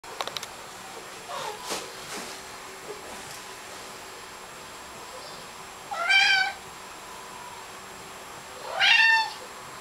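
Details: A 16-pound Maine Coon cat with a small, baby-like meow: two high, thin rising-falling meows a few seconds apart, after some faint rustling sounds indoors.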